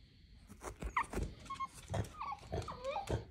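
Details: French Bulldog indoors, unhappy at being told she cannot see a German Shepherd friend until tomorrow, whimpering with soft, brief, high whines and snuffling breaths repeated every half second or so.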